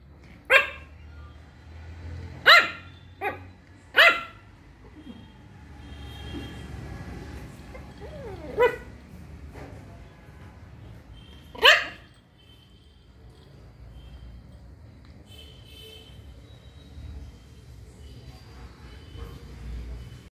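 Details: A Shih Tzu puppy barks for the first time, giving a quick run of four or five high, clipped yaps, then a soft squeak and a single louder yap after a pause, followed by a long stretch of low household hum.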